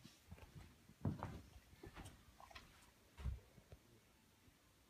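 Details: A relaxed Rottweiler gives two short, soft sneezes, each a quick muffled snort, in a quiet room, then rolls over.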